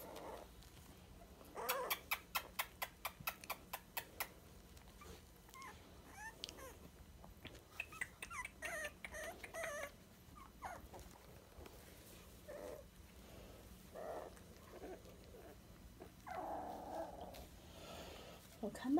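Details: Three-week-old Dachshund puppies, 23 days old, whimpering and squeaking; a quick run of sharp clicking taps early on, then scattered high thin whines and squeals indoors with low room hum.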